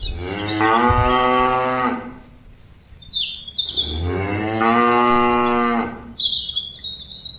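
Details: Cattle mooing to call companions back to the pen: two long, loud, harmonic moos, each about two seconds, the first slightly falling, with bird chirps between them.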